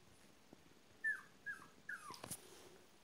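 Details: Apricot Miniature Poodle puppies of an AKC litter born March 3, 2015, with their father, giving three short high whimpers that fall in pitch, then a brief scuffling noise, over a faint steady room hiss.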